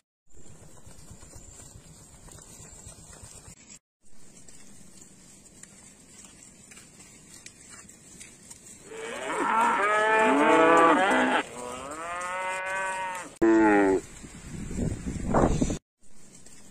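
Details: Village cattle wandering about, first a quiet stretch with a steady high hiss, then a loud drawn-out moo with rich harmonics, a second wavering moo and shorter lowing calls toward the end.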